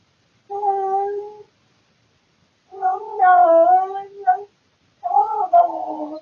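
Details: Domestic tomcat making weird noises in the middle of the night out of boredom, filmed by a surveillance camera indoors: three wavering, moaning yowls with bending pitch, the middle one longest, against silence.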